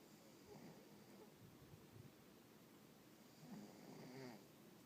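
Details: Russian Blue cat (Felis catus), snoring.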